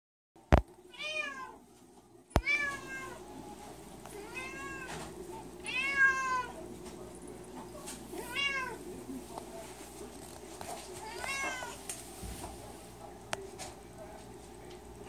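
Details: An indoor cat, upset that a door is shut, meows insistently: a steady series of drawn-out, rising-then-falling meows roughly every second or so, with a couple of sharp knocks near the start and a low room hum.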